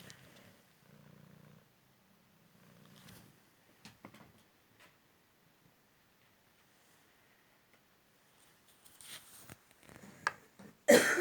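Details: Male Cymric cat, found in the street three months earlier after a car crash left a leg fracture and hip dislocation, indoors during a fetch game; a soft, low, pulsing purr in the opening seconds, then clicks, rustling and a sharp loud knock at the end.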